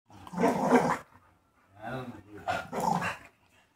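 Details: A female Rottweiler puppy 'talks' in three hoarse, drawn-out grumbles and moans that rise and fall like an argument, demanding to be let outside.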